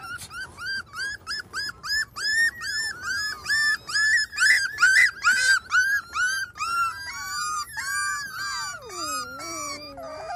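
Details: Miniature Schnauzers Max and Hilda with their five-week-old pups on a deck, Sunday morning, May 9, 2021; a steady run of high, harmonic whimpers, about two per second, ending in a long drawn-out falling whine.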